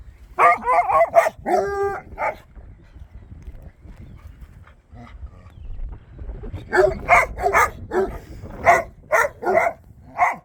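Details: Dogs barking persistently at a bare piece of ground: a cluster of sharp, ringing barks, a pause of several seconds, then a second run of about ten rapid barks at an uneven rhythm.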